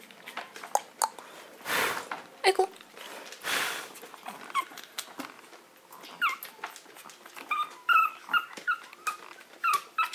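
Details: A Maltese dog demanding to be let out at once. Indoors, two broad rough bursts are followed by a series of short, high, wavering whimpers and squeaks with clicks and rustling between them.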